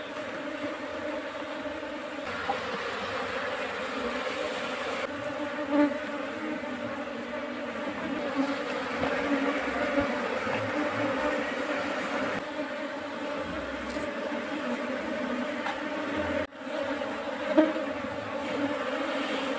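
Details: Bee colony that has settled into a trap box kept for beekeeping: a steady, dense droning hum with layered low tones, continuous throughout, swelling briefly in places, with faint clicks and light background noise.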